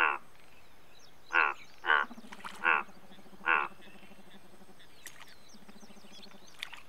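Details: Indian bullfrog: five loud, grating croaks in the first four seconds, then quieter. A lower, droning pulsed trill runs in the background, with scattered faint clicks.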